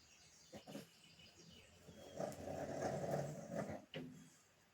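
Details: Sleeping pug giving a long, throaty rattling snore of about a second and a half, framed by shorter snuffling breaths before and after.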